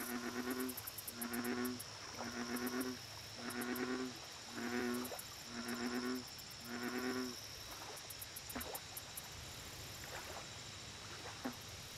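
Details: A bullfrog at a lake repeats a deep, throbbing croak seven times, roughly once per second, then stops. Sharp brief chirps and a continuous shrill insect drone with ticking pulses fill the rest.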